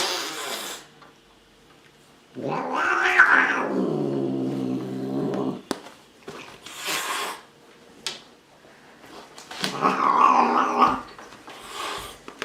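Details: Angry cat giving a loud, strained wail lasting about three seconds, broken up by sharp spitting hisses before and after, ending with a harsh snarling yowl.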